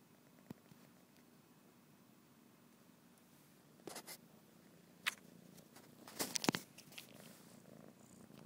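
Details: Fathi, a tired pet cat, recorded indoors on an iPhone, purring in a low steady rumble throughout, broken by a few sharp clicks and brief rustling bursts near the end.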